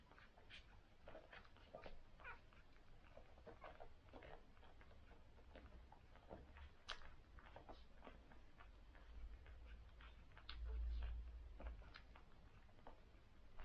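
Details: A litter of six newborn cocker spaniel puppies on their first day, suckling indoors: soft, wet smacking clicks come rapidly and irregularly, several each second, over a low hum with a brief louder rumble near the end.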